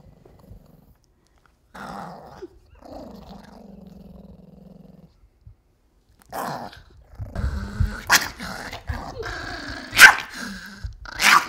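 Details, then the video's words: Pet Pomeranian Wooly, angry because he knows a bath is coming, gives sustained low moaning growls and whines, steady drawn-out tones, then a noisier stretch of snarling and scuffling mixed with household noise. "Angry Pomeranian"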